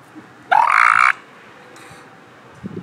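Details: A young northern elephant seal (Mirounga angustirostris) pup gives one loud, nasal, rising wail lasting about half a second.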